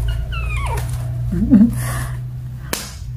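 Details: Kitten and cat playing with baskets indoors; a short falling meow with clear harmonics in the first second, followed by soft rustling, a sharp click near the end and a steady low room hum.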